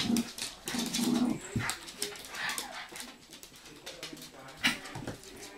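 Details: Bichon Frise dogs, from a group named Blanca, Teddy, Hope and Pretty, give short high whimpering whines, two tonal bursts in the first second and a half, followed by softer rustling, faint scuffling and a sharp click near the end.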